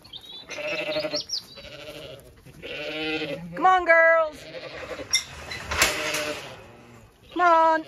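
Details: Zwartbles sheep flock on an Irish farm in County Kilkenny, moving to fresh pasture in the cool late afternoon; rough, buzzy bleats blend together, with a clear quavering bleat near four seconds and another at the end.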